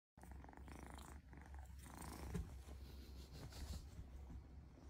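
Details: Kitten grooming itself, a steady low rumbling purr running throughout, with soft rustling and licking noises over it.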